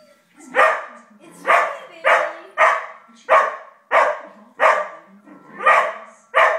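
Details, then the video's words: Five-month-old Australian Shepherd puppy indoors, barking at a film playing on a big screen, recorded on a phone; loud harsh barks repeated about every half second to second, steady volley of nine barks. "Crazy dog hates Happy Gilmore"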